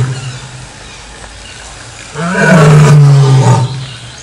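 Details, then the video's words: A lion gives one deep, rumbling roar lasting about a second and a half, after a couple of seconds of quiet low hum. "LEÃO RUGINDO, SOM DO LEÃO"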